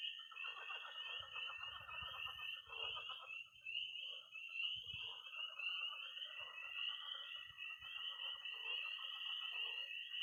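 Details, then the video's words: Early spring night at a Missouri pond, where peeping tree frogs, croaking pond frogs and high-pitched trilling toads call together as a steady shrill wall of sound over looser bursts of low rattling croaks. "Relaxing sounds. 20 minutes of toads and frogs, sound only!"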